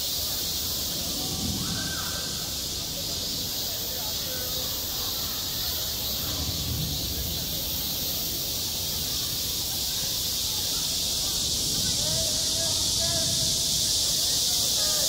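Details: Cicadas singing in midsummer on a school playground, a dense, unbroken hiss-like chorus filling the high range and holding steady throughout, with faint scattered voices and low rumble underneath.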